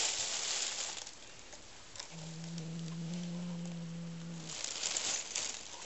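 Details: May the cat guards a new toy like her own prey. She gives one steady, low, humming growl lasting about two seconds amid soft rustling and scratching from the play.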